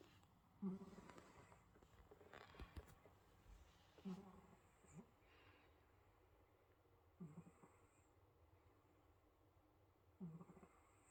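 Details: Russian Blue cat in South Korea, sleeping peacefully and snoring. Soft, low snorting breaths come about every three seconds, faint over a steady background hiss.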